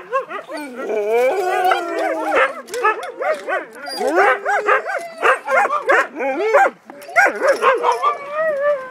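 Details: Multiple Siberian Huskies talking over each other, with wavering whines, yodel-like rising and falling notes and short barky yips packed closely, and one brief lull before the chorus resumes.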